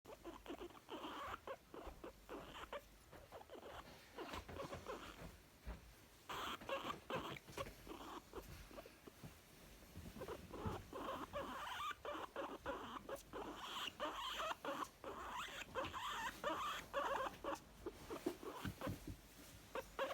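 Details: Young female guinea pig making contented sounds: irregular runs of short, soft chuffing bursts about two per second, with quieter gaps and a few faint squeaks, recorded indoors.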